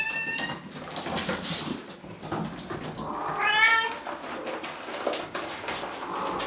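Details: Bengal kittens from three litters at Wildrose Bengals, ages about 5 and nearly 8 weeks. A faint meow opens, then one wavering, quavering cry rises midway through steady indoor hiss and rustle.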